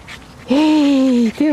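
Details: Very small one-eyed dog at the Loomade Hoiupaik animal shelter, a bit nervous while kept in the shelter; a single drawn-out, tonal whine holds steady for nearly a second and then sags slightly in pitch before a second whine begins.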